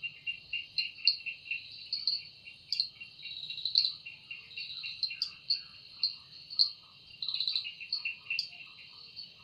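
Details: Evening forest chorus of cicadas, whose wings are said to make the sound. A continuous high-pitched drone throbs in rapid pulses, with louder surges every second or so and faint chirps underneath.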